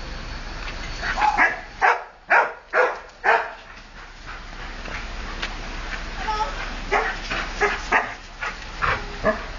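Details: Wilbur the dog, excited at another dog walking past, filmed 30 Oct 2008: four loud, sharp barks in quick succession around the two-to-three-second mark, followed by softer, irregular yips and barks over a steady background hiss.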